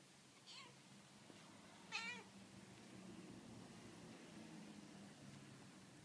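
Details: Pet cats giving two brief, bright meows about a second and a half apart, followed by steady low household hum with no further calls.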